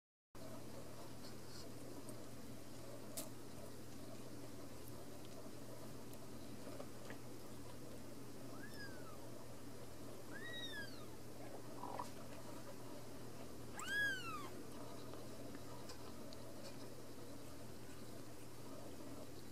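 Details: Ragdoll kittens born and raised in a home cattery in central Kansas, kept without cages; a few thin, high mews arching up and down in pitch, spaced through the middle and near the end, over a low steady indoor hum.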